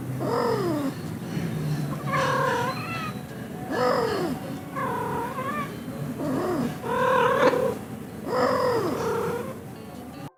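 A domestic cat gives short, chirping trills that rise and fall, repeated about every one and a half seconds.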